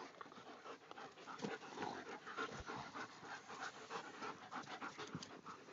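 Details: A pack of German Shepherds panting: rapid, breathy, noisy huffs about three per second, an even hiss-like rush with no voiced barks or whines.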